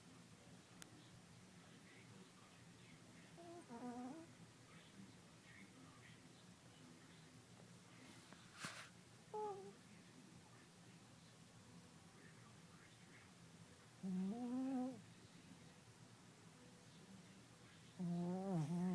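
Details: Sleeping Shih Tzu named Kota snoring, his usual habit: short, low, wavering nasal drones come roughly every four to five seconds, with soft breathing and a quiet indoor hum between them.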